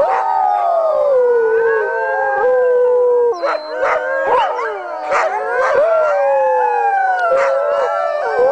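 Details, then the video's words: Howling sled dogs in a dense group chorus: a long descending howl leads, then many voices join with quavering, bending tones and frequent short barks and yips punctuating the second half. "The Sound of Howling Sled Dogs"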